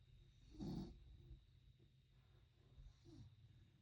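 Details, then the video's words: Puppy sleeping and snoring: one loud rough snore early on, a quieter snuffle near the end, low rumbling breathing in between. "Snoring puppy"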